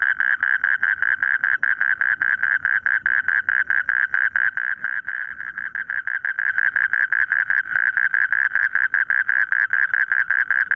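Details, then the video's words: Frogs in a rice paddy producing a steady train of pulsed, nasal croaks, roughly two to three per second, continuous and dense throughout, with a faint low rumble underneath. "suara katak di sawah merdu"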